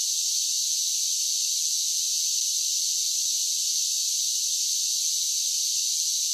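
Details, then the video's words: Cicadas singing in summer: a continuous, even, high-pitched buzzing drone with no breaks or change in loudness, and no other animals, voices or background sounds. "10 Hours of Cicada Sounds for Relaxation with Soothing Summer Nature Sounds"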